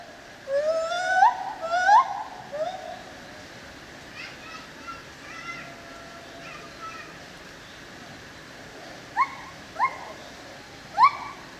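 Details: White-handed gibbon (lar gibbon) calling at the Opole zoo, Poland: two loud upswept whoops open the recording, followed by faint, scattered notes, then three short, sharp rising hoots near the end.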